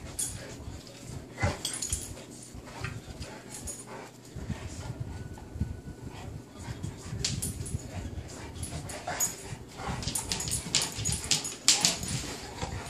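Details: A bullmastiff and a young Dogue de Bordeaux playing together indoors; irregular bursts of snorting, huffing and short whimpers mix with scuffling and clicking noises, with faint human talk in the background.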